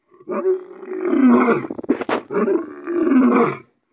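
A lion gives two long, rough roars, one after the other, with a brief harsh breath between them.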